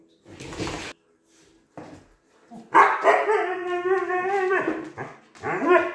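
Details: Two Siberian Huskies playing together, one complaining; a drawn-out, wavering howl-like vocalisation with rich harmonics, rising and falling for about two seconds, followed by a shorter yelping call, with a person speaking at the start.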